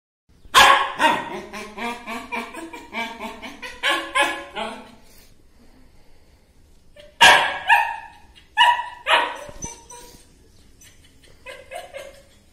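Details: Dog barking in two bursts of rapid, ringing barks, the first about seven in a row and the second about four after a quiet gap, then softer short yelps near the end.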